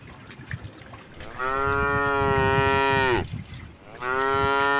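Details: A tame cow walking past a puddle on a road bordering a forest gives one long, full moo that falls slightly at its end. After a short pause a second moo starts, over a low rumbling background.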